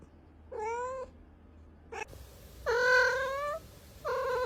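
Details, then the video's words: Domestic cat meowing to attract other cats: three harmonic, slightly rising meows of about half a second each with short gaps, over a quiet low hum. "Sounds that attract cats - Meow to make cats come to you"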